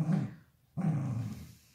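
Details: Dachshund at play catching an octopus and tearing at its arms, giving two low, rumbling growls separated by a brief pause, the second longer and trailing off.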